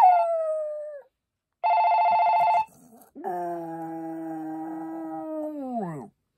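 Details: Maltese dog giving a short falling howl, then a burst of buzzy electronic ringing, then a long sustained howl. The final howl holds a steady pitch before dropping away at the end.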